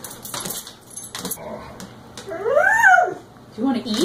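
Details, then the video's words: Excited, hungry pet dog lets out a single arching whine, up then down, midway through. A short rising yelp follows at the close while a person repeatedly asks if it wants to eat. "Dog ::: I'm hungry and excited"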